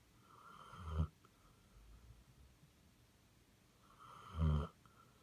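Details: Sleeping Basset Hound gives two rough, low, rasping snores about three and a half seconds apart, with faint breathing between them.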